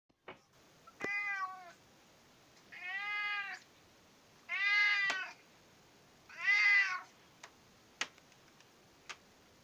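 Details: A British Shorthair cat gives four drawn-out, harmonic meows, insistently demanding its breakfast.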